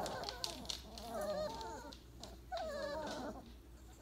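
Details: Weimaraner puppies, day 28, piled up to sleep after breakfast; two drawn-out wavering whines, each about a second long, over a low background hum.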